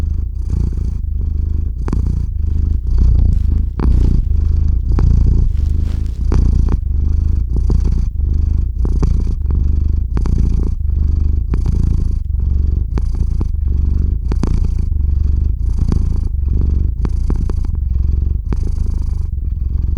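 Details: Theo, a house cat, purrs while drifting off to sleep, captured close on a RODE NTG-3 microphone into a ZOOM H6 recorder; steady low rumbling purr with rapid breath cycles and occasional soft clicks throughout.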